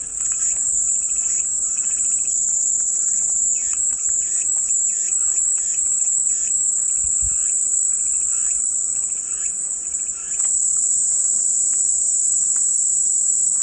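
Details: Chorus of cicadas offered as soothing white noise, a continuous shrill hiss that briefly dips near the ten-second mark, overlaid with softer rhythmic pulsed calls from other insects.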